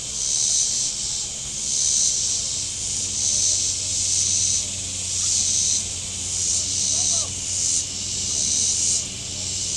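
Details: On a hot Saturday at Table Rock Lake, southern Missouri, shoreline cicadas keep up a steady high-pitched rasping drone, pulsing roughly once a second, over a low rumble of boat engines and a brief faint higher whistle.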